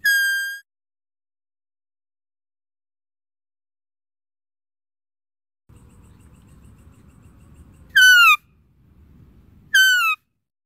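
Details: High, whistled deer calls with strong overtones. A brief flat note opens, then after a long silence two short calls slide downward about two seconds apart, with a low rumbling noise between them.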